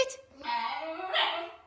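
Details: Female basenji at home talking back while her owner gets ready for a walk: a drawn-out, wavering, harmonic yodel that bends up and down in pitch, with a person speaking Russian and music playing.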